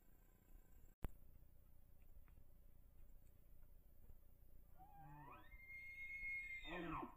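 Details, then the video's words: Bull elk with big antlers, calling on Idaho public land in the rut while chasing cow elk, recorded by cellular trail camera: quiet hiss, then a harmonic call sweeping upward into a high, sustained whistle near the end. "Bull Elk Bugles"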